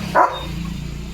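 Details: Leo the German Shepherd, a pet dog switched to alert duty after a bath, lets out one loud, abrupt bark followed by a low steady hum.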